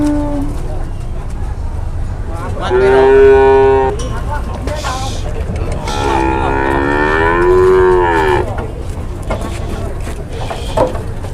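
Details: Cattle being loaded onto a tronton truck at Sobo market, Indonesia: a loud harmonic moo around 2.5–4 seconds, then a longer wavering moo from 6 to 8.5 seconds, over steady low engine rumble and crowd noise.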